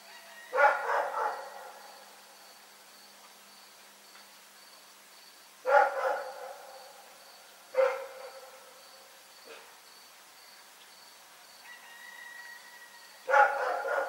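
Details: Rex, a dog, barks at night in short bursts: a doubled bark, a long pause, then three more barks at uneven intervals, with a faint steady high tone underneath.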